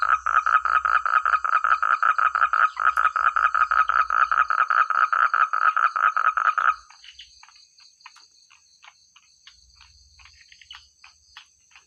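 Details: Frogs in countryside rice paddies croaking loudly in a fast, regular series of short pulses for about seven seconds, then falling quiet, leaving sparse faint clicks and a steady high-pitched insect-like drone.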